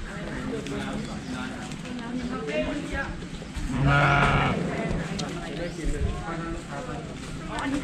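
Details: Sheep being fed grass by hand: one loud, wavering bleat near the middle, amid steady Thai conversation and background music.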